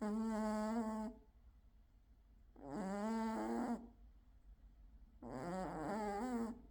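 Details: Gold male British Shorthair cat sleeping and snoring loudly indoors: three long, droning snores, each about a second or more, spaced roughly two and a half seconds apart with quiet breaths between.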